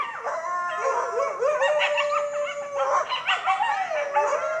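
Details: Several coyotes howl and yip together, their wavering voices sliding up and down over one another, recorded through an open window.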